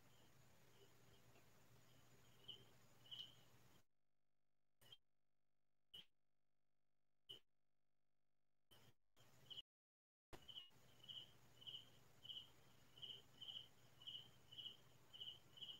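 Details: Night-time crickets on a rural farm chirping in short, high bursts. A long stretch of near silence with a few sharp clicks interrupts them before the even chirping resumes, about two per second.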